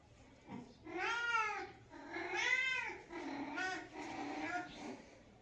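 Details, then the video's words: Indoors, a female house cat grooms her sister and meows repeatedly: four arched, tonal meows roughly a second apart, the first two loudest and clearest, the later ones softer and shorter, against a quiet background. "Cat meows"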